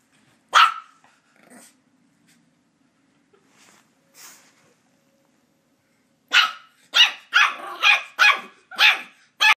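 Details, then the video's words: Border Terrier puppy going after a squeaky toy: one loud sharp yap, a few faint grumbles during a quiet stretch, then a rapid burst of six high, harsh barks. "Border terrier puppy vs. Squeaky Toy"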